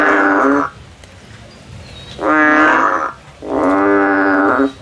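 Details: While climbing a tree looking for a way out, a frog gives three loud, harmonic, moaning calls of under a second each. Quiet pauses separate the calls.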